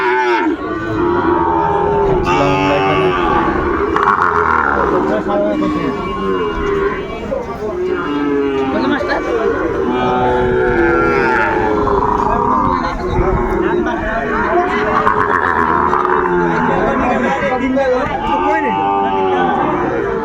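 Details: At a Dhaka cattle market, Sahiwal bull calves bellow over and over across twenty seconds, their arched, wavering moos overlapping as several animals call, above constant human talk and bustle.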